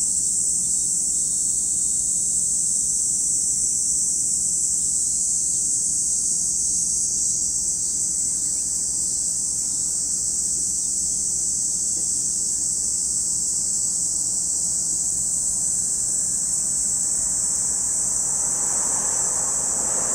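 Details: A dense cicada chorus at Lake Kamo, Sado City, Niigata Prefecture, Japan, holding one even, high-pitched hiss. A soft broadband rustle rises near the end.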